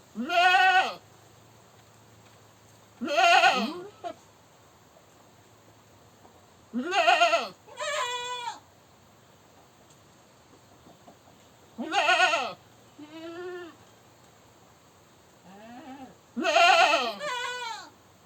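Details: Goat screaming in a series of loud, harsh, wavering bleats, about six cries roughly every three to five seconds, several followed at once by a shorter, thinner second cry; quiet background between calls.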